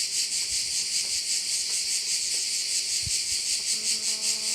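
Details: Steady pulsing high-pitched drone of crickets by a bay on Korčula, with a few soft low knocks and a faint tonal hum entering near the end.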